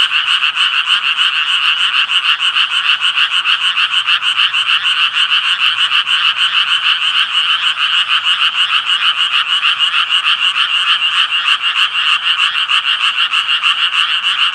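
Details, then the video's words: A steady chorus of tree frogs, many voices overlapping in quick, harsh, buzzy croaks repeated roughly three per second, forming an unbroken, even throb throughout, with nothing else clearly audible. "청개구리 울음소리"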